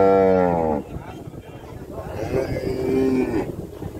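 A cow gives a loud, harmonic-rich moo, then a second lower, drawn-out moo.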